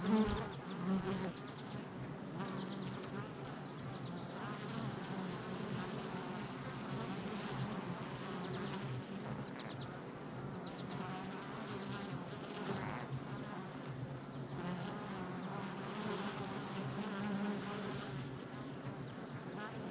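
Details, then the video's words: Honey bees buzzing at a hive entrance on July 22nd, 2024: a dense, steady, low droning hum of many bees with shifting overtones, continuous throughout, with a brief faint series of high ticking tones near the start. "Honey Bee Hive Entrance Activity"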